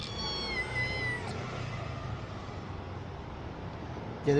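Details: Kitten hiding under a parked car while someone tries to coax it out; a single clear, tonal meow at the start, falling slightly at the end, over a constant low rumble, followed by a short thump.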